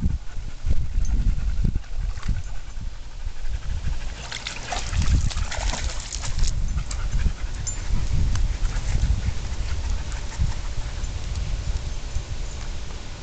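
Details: Rescue dogs Twilight, Juno, Crystal and Tek at playtime, one panting in rough low bursts with rustling, scuffling movement and brief scraping noises around it.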